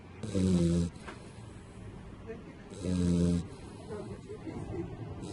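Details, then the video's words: Pit bull puppy asleep belly up, snoring: two loud, low, rasping snores, each about half a second long, with a quiet pause of about two seconds between them. "cane che dorme e russa - dog asleep and snoring"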